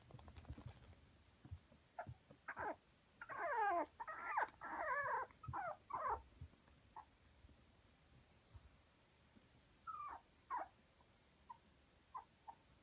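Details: Toy Poodle puppy with a red coat, born in late August and 48 days old, in Kumamoto: a burst of strained, wavering whines and yelps mid-recording, then sparse short soft squeaks separated by quiet pauses, indoors.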